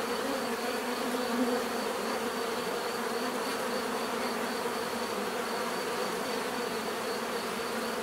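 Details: Many bees buzzing together in a steady, dense, unbroken drone with a low hum and brighter overtones, holding even loudness throughout with no other clear sounds.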